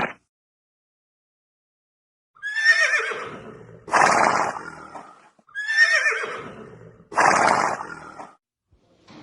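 A horse whinnies twice, each a shaky descending neigh ending in a breathy, rough rush.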